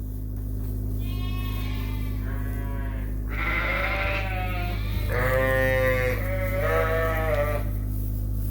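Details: Mixed groups of Suffolk lambs sharing a barn at Ewetopia Farms after an open gate let them escape; a faint distant bleat, then a run of four strong, quavering bleats in quick succession, backed by steady low mechanical hum.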